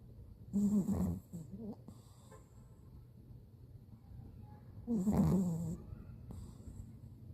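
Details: Bori, a Pomeranian napping eight days after kneecap surgery, snores: two low rasping snores about four seconds apart, each under a second long, with quiet breathing between.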